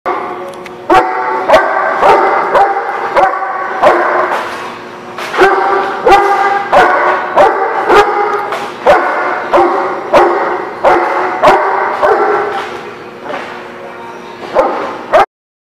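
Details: Dog barking steadily, recorded 7/10/17: loud, harsh barks repeated roughly every half second to second in uneven runs, with sharp clicking knocks between them and a short break near the end.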